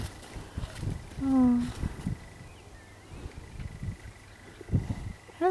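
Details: Cows seen close up back at home: one short, steady, low moo lasting about half a second, rich in overtones, amid rustling and soft thuds, with a person greeting the animals with "hello" nearby.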